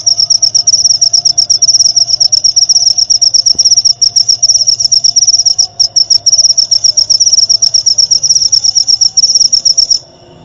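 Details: Cricket calling continuously, a bright high-pitched pulsed trill running unbroken for about ten seconds before stopping, used as song-tutoring material for white-rumped shama at night; soft low background hum.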